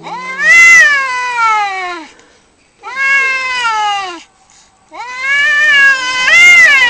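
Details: Three separate drawn-out cat wails during a fight, each sliding downward in pitch before breaking off. Short silent gaps separate them, and the last wail rises sharply at its end.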